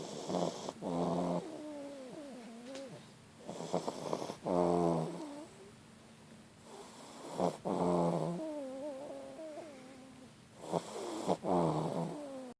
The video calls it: French bulldog snoring